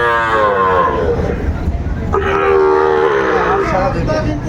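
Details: At a Brahmanbaria cattle market in Bangladesh, 31 May 2024, Sahiwal bulls bought by a farmer low: a fading moo at the start, then a second sustained, flat-pitched bellow of about a second and a half amid crowd murmur.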